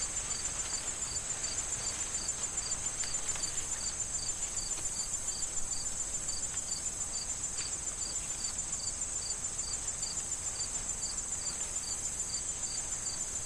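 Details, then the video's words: Fall crickets among corn stalks soon to be harvested, chirping in an even pulse about three times a second, layered over a bright sustained insect drone and windy rustle. "Corn Field Sound of Wind and Crickets"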